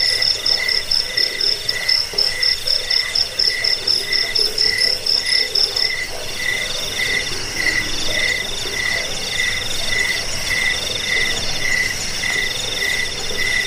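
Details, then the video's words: Cricket chorus for driving off rats, easing sleep and tutoring cage birds: rapid pulsed chirps start crisp and separate, then merge into a denser, continuous shrill hum in the second half. "Suara jangkik pengusir tikus pengantar tidur"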